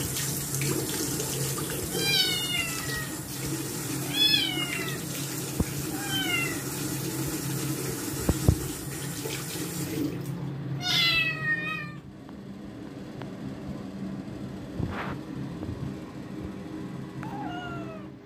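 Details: A Scottish kitten, bathed a second time after dirtying its paws, gives a quick burst of loud, wavering meows, then more spaced cries after the tap noise drops, with occasional clunks and splashes of bathwater.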